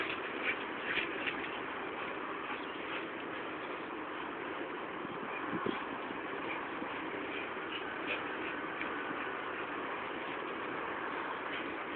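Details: A steady, muffled rumble like an idling engine, with no animal voice standing out.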